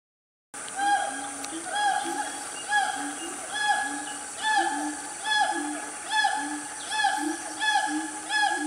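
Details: Family of siamangs, also called gibbons, calling loudly in Gunung Nuang forest, Selangor, Malaysia, around 10 am on a cool morning; strong harmonic hoots with rising and falling swoops, repeated about once a second, layered voices.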